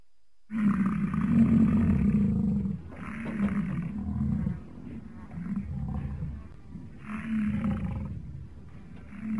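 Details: American bison giving a deep, rough, drawn-out roaring bellow lasting about two seconds, followed by several shorter, quieter growling roars, with faint outdoor background noise throughout.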